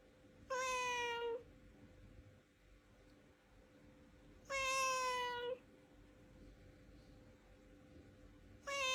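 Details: Cat meowing to express its emotions, live sound: two long, drawn-out, slightly falling meows about four seconds apart, each close to a second long, with the start of a third at the end over a quiet steady hum.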